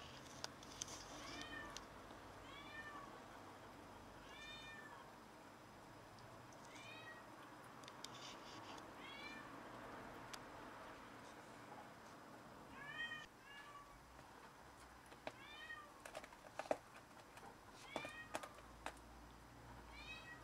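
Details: A cat that caught a rat and brought it to show off meows over and over, about eight rising-falling harmonic meows in loose bursts spread across twenty seconds, with sharp clicks and knocks and a low steady hum behind.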